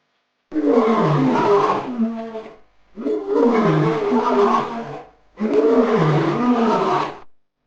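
A lion gives three long, rough roars, each about two seconds, with deep grating tones and short pauses between them.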